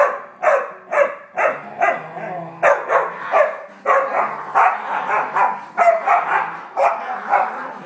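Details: Dog barking hard, loud sharp barks repeated in a fast, uneven series of roughly two per second, with a low steady hum in the background.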